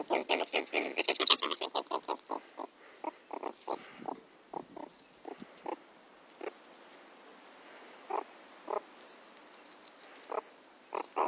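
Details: During teasing and play with its owner, a pet meerkat opens with a fast string of harsh grunting pulses, then slows to scattered single rasping notes spaced about a second apart.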